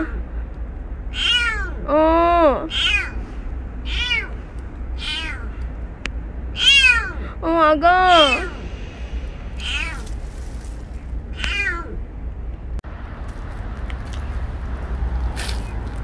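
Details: Stray kitten named Petit, rescued outdoors, meowing repeatedly in high, harmonic-rich calls, some rising then falling, roughly a dozen cries over sixteen seconds, with a woman speaking softly in Korean and steady low background hum.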